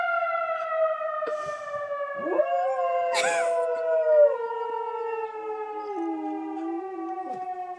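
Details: Dog named Riley howling at a tornado siren: wavering, drawn-out howls rise and fall over the loud, steady, slowly descending wail of the siren, which dominates throughout, with a short scratchy noise burst near the middle.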